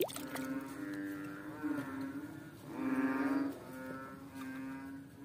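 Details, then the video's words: A fat water frog on a slippery rock makes low, mooing, sustained nasal notes, one louder drawn-out call near the middle, amid a steady droning background of similar calls. "The sound of a funny fat frog on a slippery rock"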